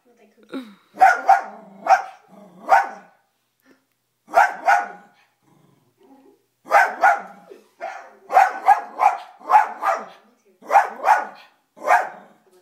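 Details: Pet dog Toby barking at himself on a TV screen indoors, firing off around fifteen sharp barks in clusters of two to four, with brief silent pauses between the bursts.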